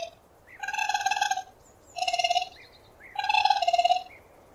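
A raccoon gives three rich, pulsing trills, each under a second long, with short gaps between them.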